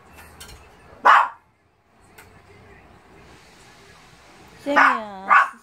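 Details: Semi the Shih Tzu, waiting on a rainy day for Lotto and Hana to return from grooming, gives one sharp yelp, falls quiet, then lets out a longer whine sliding down in pitch and a final short cry.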